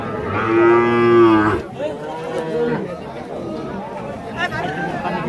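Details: A calf at a Rajshahi cow market in Bangladesh, 2018, lets out one loud, steady moo lasting about a second. Softer, wavering bellows and market chatter follow.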